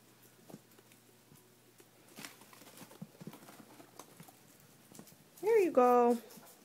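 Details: Indoor guinea pigs begging for lettuce, crying whenever food seems near: after quiet shuffling, a loud, clear whistling squeal near the end, first rising and then a held, wavering tone lasting under a second.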